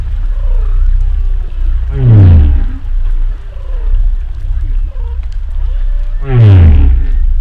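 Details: Humpback whale underwater, giving deep descending moans with rich buzzy harmonics, two loud ones a few seconds apart, with softer wavering tonal calls filling the gaps over a heavy low rumble.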